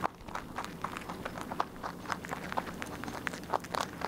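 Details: Rabbit eating steadily, close-up chewing: rapid crisp crunching clicks in quick uneven succession, with a faint low background hum.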